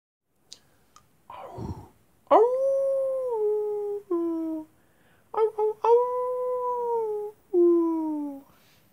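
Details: Wolves howling at night: long steady tonal howls with rich harmonics, each held one to two seconds then dropping slightly in pitch, several overlapping voices, brief whimpers and clicks before the first howl.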